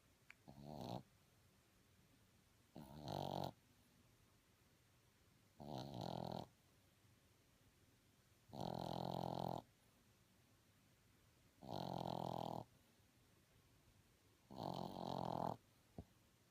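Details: Boston Terrier puppy asleep indoors, snoring in slow rasping breaths; six broad, buzzy snores, each under a second long, come about every three seconds, with quiet pauses between them.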